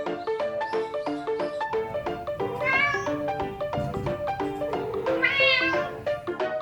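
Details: Domestic cat making an unusual vocalization that is not chattering: a few drawn-out, arching meows near the middle and end, heard over steady, plucky background music throughout.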